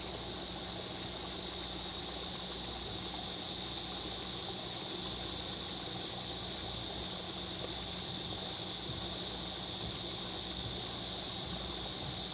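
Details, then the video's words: Cicadas calling on a hot summer day at Nami Island, Gapyeong, Korea, near waterfalls and the Bukhan River; a steady, unbroken high-pitched hissing drone fills all twelve seconds, with a faint low hum underneath. "매미 우는 여름!!"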